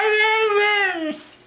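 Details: Female pet husky Mishka vocalizing indoors as if saying "I love you": one long steady howled tone, slightly wavering, gently falling at the end after about a second, then quiet.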